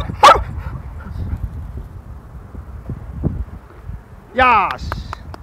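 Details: Yellow male field-line Labrador Retriever, eighteen months old, practising in training; one sharp bark, a quiet stretch, then a brief harmonic whine that falls in pitch, with soft background noise.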